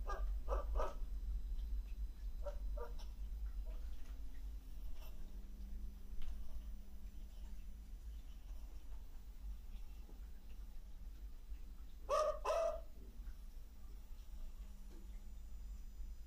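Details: Neighbours' pet dogs barking at night in Trindade, recorded over three days, replayed through a speaker: a few short barks early, then a louder double bark near twelve seconds, over steady low hum and background noise.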